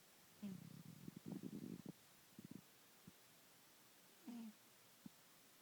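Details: Bengal cat named Cheetah, a pet kitty, snoring loudly indoors; low, rattling snore bursts, a long buzzy one followed by shorter puffs and a brief gap, then another low rasping breath and a faint click near the end.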